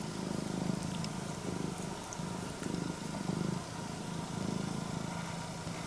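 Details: Rumbling purr of a female Scottish Fold, red tabby and white with upright ears, greeting her owner. The deep, throaty drone comes in short rhythmic surges, roughly one per second, beneath faint rustles.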